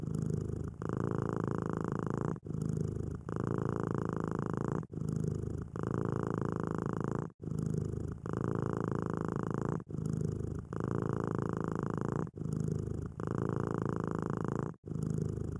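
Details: Purring of a content domestic cat. A continuous deep vibrating rumble is broken by short gaps at each breath, giving alternating long and short phases about every one to two seconds, with no background noise.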